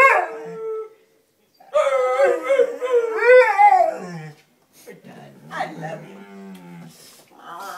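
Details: Female Bullmastiff howling in greeting to her owner: a short cry, then a long, warbling, rising-and-falling howl, followed by quieter whines with a person's voice.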